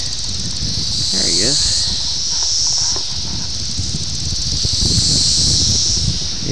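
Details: Brood X 17-year periodical cicadas in Ayersville, Ohio, on June 18, 1987, taped on a VHS camera: a dense, steady high-pitched droning chorus that swells and fades slowly, with a man talking nearby and a brief rising chirp early on.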